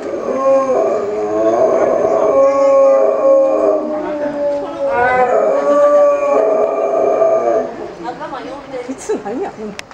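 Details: Chinese wolves at Tennoji Zoo, Japan, 8 October 2015, calling in unison, maybe before feeding; long steady howls held for seconds with overlapping voices, a brief rising cry midway, fading into softer wavering calls.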